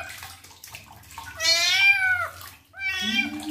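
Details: Male kitten meowing during his first bath while his wounds are cleaned: one long, drawn-out, high wavering meow, then a shorter one starting as a person speaks softly.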